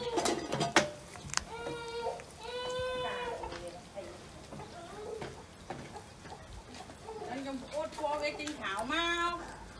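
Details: Kittens being fed fish with rice, giving short high meows in bursts with several overlapping, strongest near the start and again toward the end, over a background of clattering and a voice.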